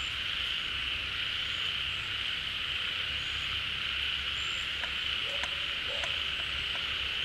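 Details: A crowd of frogs calling at a refilling pond in the rainy season, having come out of hiding. Continuous high droning chorus, with two sharp low croaks and clicking notes late in the clip.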